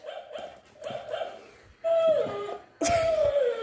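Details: Shih Tzu fighting with a toy dog indoors: short muffled yapping barks, then two louder drawn-out whining cries that slide downward in pitch.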